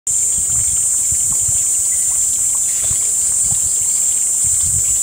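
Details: A cicada in Panchkula on a hot summer day, 2 May, gives a steady, high-pitched, shrill buzz that holds without a break; this species emerges in late April or early May after the Apache cicada and buzzes throughout the day.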